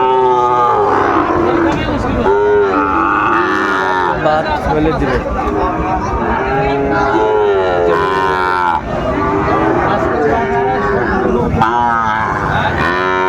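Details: Sahiwal bull calves at Ambari cattle market in Dinajpur, Bangladesh, on 27 May 2024; several low drawn-out moos rise and fall through a steady crowd hubbub, with men talking and bargaining over prices close by.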